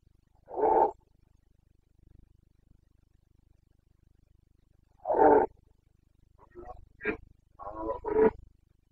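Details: Carpathian stag in the breeding-season rut, Bucovina mountains, 29 September 2022. Two short, coarse roars about four seconds apart, then a run of quicker, broken grunting bursts.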